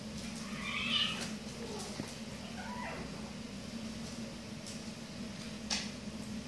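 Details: Maine Coon kittens indoors: a brief, soft meow bending up and down near the first second, then a fainter wavering meow around three seconds, over a steady low hum and light rustling.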